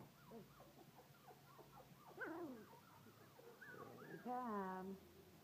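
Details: Three-week-old Collie puppies, offspring of Cassie and Red, indoors in a living room, giving a run of thin rising and falling whimpers and squeals, ending in a longer wavering whine, with soft human voices in the background.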